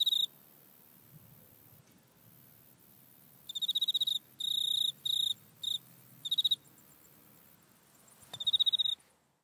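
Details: Grasshopper sound recorded in a back yard on an iPhone: short bursts of high, pulsed, buzzy chirping, each about half a second to a second long and separated by quiet gaps, over a faint low background hum.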